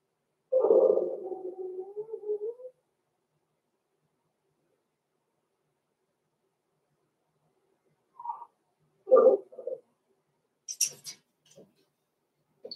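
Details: Six-week-old Blenheim Cavalier King Charles Spaniel puppies, Roman and Blue, born November 14, 2022, in a home puppy pen. A drawn-out, wavering whine lasting about two seconds, followed after a pause by a few short yelps and squeaks.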